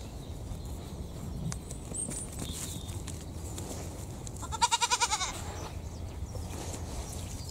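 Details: One of two young miniature pygmy goats, resting and bonding, gives a short, wavering bleat over a low background rumble.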